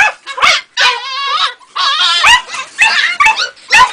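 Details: Two-and-a-half-month-old female Jagdterrier puppy producing drawn-out, wavering high whines mixed with sharper yelps, longer cries lasting up to a second between short gaps.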